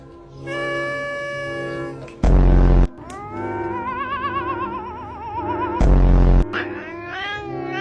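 A domestic cat gives long, wavering meows, with music and two sudden loud bursts.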